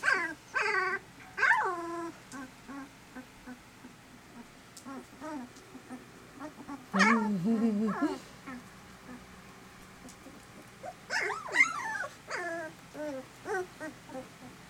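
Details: Eighteen-day-old puppies from Sweetie's litter of eleven, piled together while their mother rests: short high yips and whimpering squeals in scattered clusters, separated by quiet pauses.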